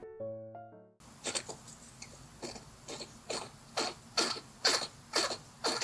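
A hedgehog gives harsh, breathy bursts about twice a second, a distress sound of pain from parasites.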